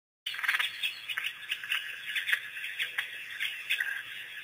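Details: African wild dogs, also called painted or Cape hunting dogs, a pack on its first visit to Pete's Pond after release by researchers, April 5, 2008; dense overlapping high chirps and twitters with sharp clicks, rising and falling in bursts throughout.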